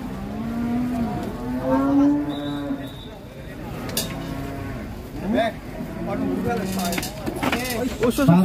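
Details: Contest cattle in Indonesia unloaded from a truck; repeated deep, drawn-out moos of a few seconds each, rising and falling in pitch, with shorter bellows later, over music, engine noise and voices.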